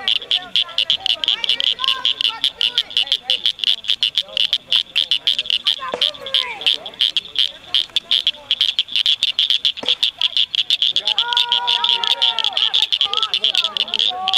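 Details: Rare Blanchard's cricket frogs singing at Cricket Cove Park near Cygnet, Ohio, in May 2006: dense chorus of sharp, high clicking notes in rapid, irregular series, with faint background sounds underneath.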